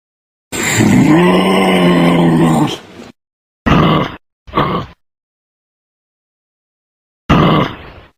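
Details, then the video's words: A deep, drawn-out kangaroo groan lasting over two seconds with a slight rising bend, then two quick gruff grunts and, after a pause, one more short grunt. "KANGAROO | SOUNDS EFFECT"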